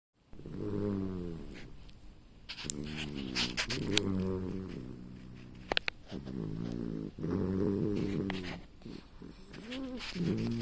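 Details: A sleeping puppy snoring: rough, buzzy breaths with stacked low tones, in runs of about a second separated by short pauses, getting louder and softer. Brief clicks and knocks are heard.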